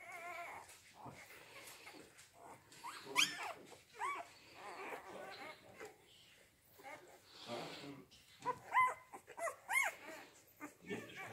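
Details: Rhodesian Ridgeback puppies from the C litter, born 8 June 2019, at Kennel Letsatsi kwa Africa, giving scattered high arched whimpers and squeaks in short bursts, with quieter gaps between and faint human voices.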